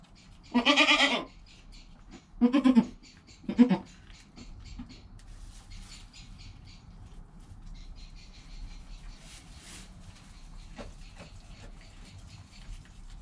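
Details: Within an hour of birth, newborn goat Joel calls near his mother Penny on a GoPro recording; three bleats in quick succession, the first longest, then fading to soft rustles and faint clicks.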